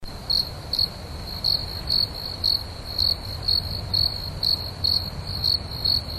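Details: Crickets chirp at night outdoors in short, high, pulsed bursts, about two each second, with a calm, steady rhythm.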